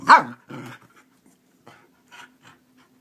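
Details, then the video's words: Keeshond rousing its owner each morning like an alarm clock: one sharp, loud bark opens, followed by a softer grunt and a few faint, brief huffs in a quiet room. "Keeshond alarm clock"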